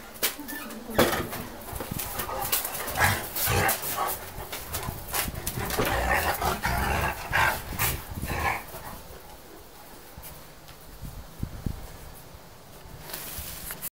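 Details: Tibetan Mastiff at a kennel in Nizhny Novgorod, Russia, 2017; deep, irregular barks in short bursts mixed with people talking nearby, fading to quieter background noise toward the end.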